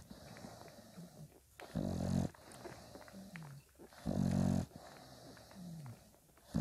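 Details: Five-day-old Bulldog puppies with their mother Spikkels; loud, low, rough grunting bursts about every two seconds, separated by soft falling whimpers and quiet snuffling.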